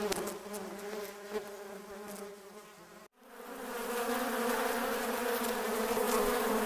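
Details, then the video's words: Angry wasps in a swarm around their nest; a wavering multi-toned buzz cuts out abruptly, then returns as a louder, brighter, more constant roar of wings. "Wasps Sound Effect - Hypnotic Wasp Buzzing Noise"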